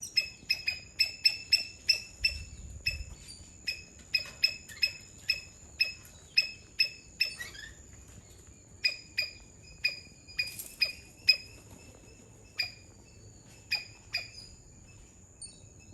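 A Sri Lankan palm squirrel gives sharp, high chip notes in quick runs, broken by short pauses.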